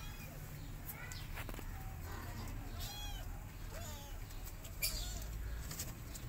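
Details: Rescued stray kittens from a mother cat family, newly moved into their new home, give several short, arching mews near one, three and four seconds, high and thin, over a steady low background rumble.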